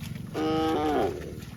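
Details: A cow lets out a single clear, tonal moo lasting under a second, rich in harmonics and bending slightly downward at its end, over low steady background noise.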